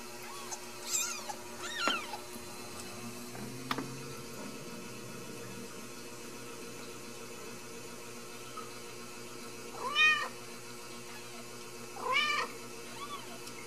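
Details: Ragdoll kittens from a central Kansas home cattery, raised without cages; a few short arched meows near the start and two more about ten and twelve seconds in, with long quiet gaps, soft handling noises and faint background hum.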